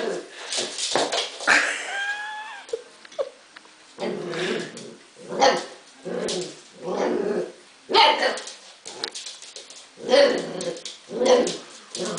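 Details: Husky puppy vocalising indoors: a high whining yelp with rising harmonic streaks near two seconds, then a run of short bursts of yips and whimpers spaced about a second apart, with some speech mixed in.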